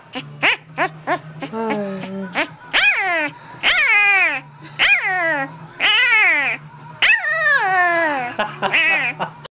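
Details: White German Shepherd female throwing a fit, whining very loudly when picked up: long, loud, wavering howl-like whines that rise and fall, broken by short sharp yips, with a low steady hum underneath; a person laughs just before.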